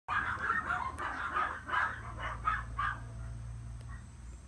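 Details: Long-haired male Chihuahua puppy, born 13 April 2018, giving a quick run of short, high yapping barks for about three seconds, then falling quiet, with a steady low hum in the background.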